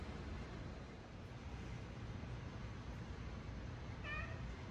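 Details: Hungry male domestic cat asking for his dinner indoors, where the cats are fed on tables away from the dog; a single short harmonic meow near the end, over steady low background hum, with a person talking to him.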